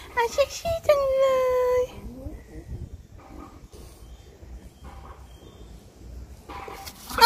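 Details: French Bulldog from a home with dogs named Pierre, Jertam and Meringue gives one drawn-out, steady whining howl of about a second, then faint short whimpers, while people chat in Thai indoors.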